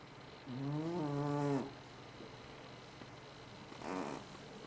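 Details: Loud snoring from FatCat, a sleeping house cat: one long buzzy, tonal snore lasting about a second that rises slightly then levels off, followed after a pause by a brief, fainter snore, against steady low background hum.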